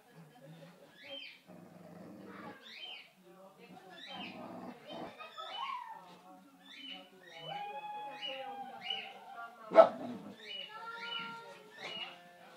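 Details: Kofi the Boxer and Kiko the Basenji at play: low rasping growl bursts alternate with high, arching whines and yelps, plus steady whistled tones near the middle and one sharp loud yelp toward the end.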